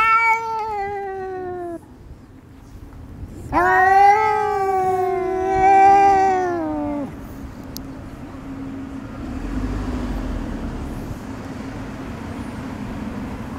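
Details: Friendly neighbourhood female cat, white with silver tabby markings, growls from a lap at a hostile ginger tabby while being stroked. A short falling wail, a pause, then a long wavering yowl of several seconds. Fades into a steady low hum.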